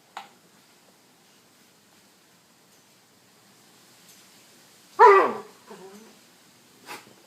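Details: A dog cries while being pinched by its owner: one short, wavering cry sliding downward, followed by a softer whimper.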